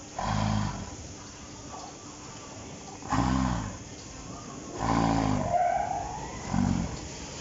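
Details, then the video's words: Yurina, a dairy cow on a Finnish farm, gives low, throaty snoring grunts in four uneven bursts, with a brief thin whistled sound midway over constant barn hum. "Как храпит или хрюкает корова"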